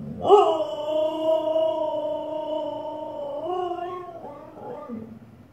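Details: Miss Bella, a Siberian Husky, howling at her reflection in the fireplace, not understanding she sees herself: one drawn-out, even, moaning tone sustained over three seconds, then dipping and breaking into shorter wavering yowls in a small room.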